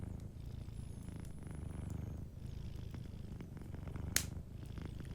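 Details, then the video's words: Deep, even purr of a cat dozing by a fireplace, rumbling steadily throughout, broken near the end by a single loud crackle from the burning wood. "Warm Fireplace Ambience with a Sleeping Cat 🐱💤Fireplace & Soft Purring"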